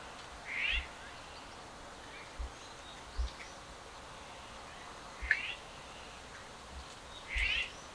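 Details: Stray cats, males following a female, giving short, rising meows at scattered moments, with a longer, louder one near the end, over quiet background hiss and faint bird chirps.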